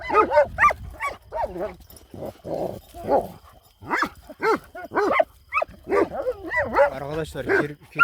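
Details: Kangal dogs guarding a farm at night, barking at a hedgehog: sharp, clipped barks fired in rapid uneven bursts, with a rougher growling stretch midway and a man's voice in between.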